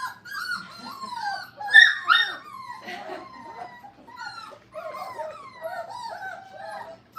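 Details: Playful five-week-old Brittany puppies at a training kennel whimper and whine in a steady stream of high, wavering squeals, some sliding downward, with one louder yelp near the start and faint talking behind.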